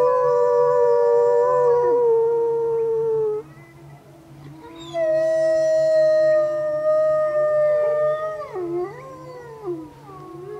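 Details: Several gray wolves at the bottom of Grouse Mountain, set off by a car alarm, howl together in long, steady, mournful tones that overlap and waver into a chorus.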